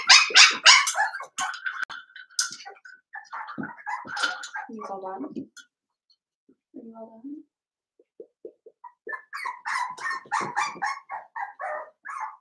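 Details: Cavalier King Charles Spaniel puppies, blenheim litter of five at seven weeks, in a home pen; sharp yaps fade to soft whines and whimpers, a near-silent gap, then another run of high barking.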